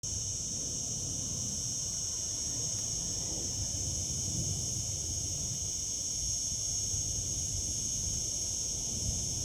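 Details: Cicadas singing in summer fill the air with a steady, high, shimmering buzz that never breaks.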